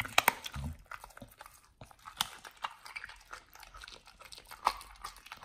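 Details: Pit Bull named Nomyen chewing raw whole Thai duck, its first taste of it. A quick double crack opens, then a string of wet crunches and bites, with a louder snap near four and a half seconds.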